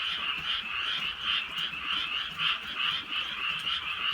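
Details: A crowd of frogs croaking together on a rainy rural night, their rough, pulsed calls blending into an unbroken trilling wall that rises in brief louder bursts about every half second over gentle rain.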